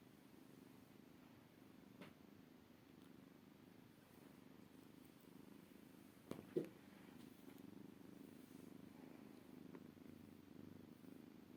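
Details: Maine Coon kitten purring indoors, a steady low rumbling purr with a pulsing texture throughout, broken by a brief click near the middle.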